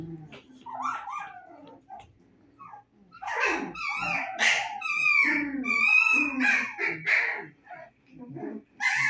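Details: Playful 25-day-old Husky puppies letting out rising, wavering whines and sharp yelps that grow denser after a quiet first few seconds, with faint voices mixed in.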